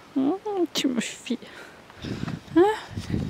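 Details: Petite Pelotte, a tiny miniature goat kid from Tourelles, small at birth and adopted by her mother only after several days, follows on foot to go suckle her mother; short rising bleats, three in a few seconds, with a woman's gentle talk and footsteps.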